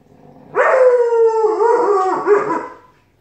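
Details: During a long argument between a Malamute puppy and a Siberian Husky, a sustained howl starts abruptly, slowly falls, then breaks into wavering, grumbling inflections before fading after about two seconds.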